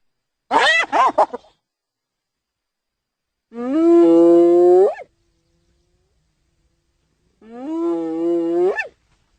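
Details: Hyena vocalising: a brief burst of rough, chattering sounds, then two long tonal calls that hold steady before rising at the end, separated by a pause of a few seconds.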